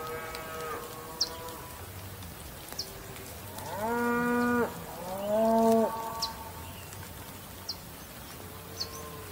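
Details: Male cattle lowing: two loud, rich bellows in quick succession mid-clip, each held about a second with a slight arching pitch, framed by fainter softer moos before and after and sparse sharp high ticks.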